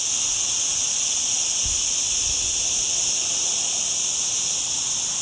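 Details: Loud, constant cicada chorus in an olive grove in the lower Sierra Llana beside a town, cloudy during a very hot week; a flat, high sizzling buzz without pause, plus a couple of soft low thumps.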